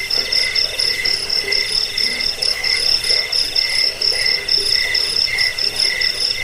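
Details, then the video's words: Cricket chirping, offered as a rat-repelling, sleep-inducing sound and as master audio for training songbirds; shrill pulsed chirps in two high bands, repeated about twice a second in a steady, continuous rhythm. "Suara jangkik"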